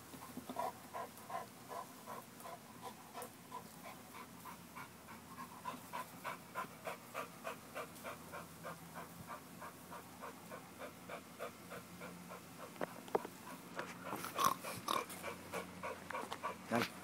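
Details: Working out to build muscle, an American Bulldog pants in a fast, even rhythm of about three breaths per second, soft hissing exhalations that continue throughout, with a louder rustling burst near the end.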